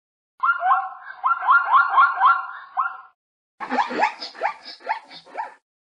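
A zebra gives two bouts of rapid, yelping barks, each series running for about two seconds.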